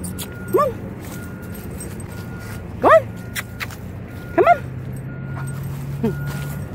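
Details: Alaskan Malamute on a road trip after a long drive: four short, sharply rising yelping barks spaced about one to two seconds apart, over a steady low engine hum, with faint clicks and handling noise between calls.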